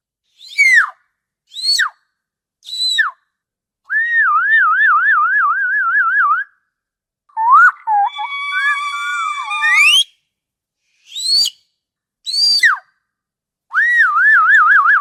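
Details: Orca vocalizations with short downward-sliding harmonic calls, a long wavering warbled whistle, layered rising tones, then more brief sliding calls and another wavering whistle at the end.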